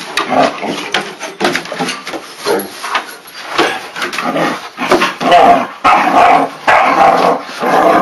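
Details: Two Pyrenean Mountain Dog puppies, Noor at seven months and Peluche at four months, playing through a fence: a stream of rough, irregular growls, grumbles and short yips in uneven bursts, with faint background noise.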